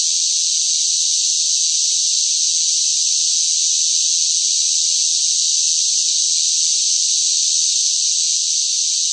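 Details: Shrill chorus of cicadas during hot summer heat, a continuous, even, high hissing buzz with no pulses, breaks or background sounds.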